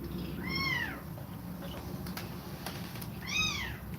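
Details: Nursing house cat with kittens: two clear, high mews, each rising then falling in a smooth arch, separated by about three seconds of low humming background and soft clicks.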